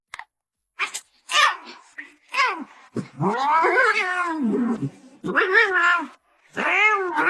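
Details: A domestic cat gives long, drawn-out wavering meows, the longest lasting about two seconds, rising and falling in pitch. Short vocal bursts come first, with brief silent gaps between calls.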